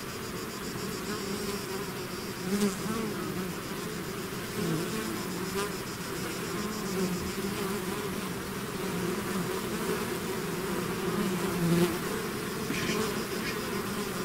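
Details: Bees swarming from their hive make a continuous deep buzz, several individual insects flying close and briefly louder, pitch wavering slightly as they pass.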